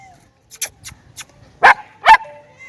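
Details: German Shepherd puppies playing: two short sharp yipping barks about half a second apart after a few faint clicks and scuffles.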